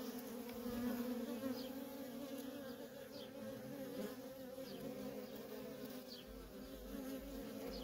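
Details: Feral honey bee colony with busy worker traffic: a dense, unbroken low hum layered with a higher harmonic, and a few faint high descending chirps in the background.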